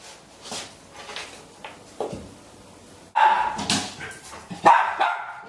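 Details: Small dog on a lead still barking hard at the first attempt of door-leaving practice; a few faint scattered yaps early, then a louder burst of sharp barks in the final two seconds, with household noise.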